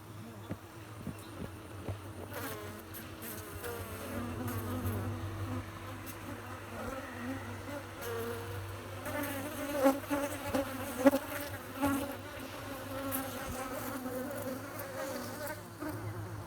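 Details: Honey bees humming and buzzing: a dense, droning hum with shifting wingbeat tones that wax and wane as individual bees pass close, plus a steady low background drone and occasional brief clicks.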